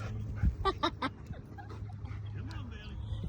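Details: Golden retriever barking at a bird and squirrels up in a tree, outdoors; three quick, strong barks near the half-second mark, then softer yips, with a woman talking, birds chirping and a steady low hum.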